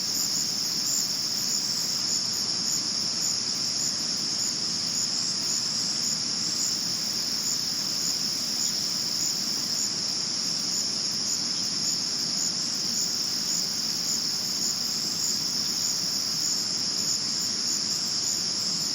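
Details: Crickets chirp at night in a steady, high-pitched, shrill trill that runs unbroken from start to finish, recorded in 2022.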